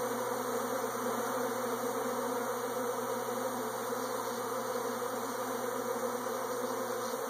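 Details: Continuous humming of swarming bees, an even, rough buzz with a faint low steady tone underneath throughout.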